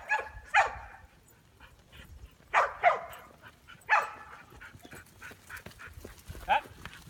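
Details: A Chow Chow mix named Ronin, herding sheep, lets out a few spaced single barks, each sharp and brief with long pauses between, over light background rustle.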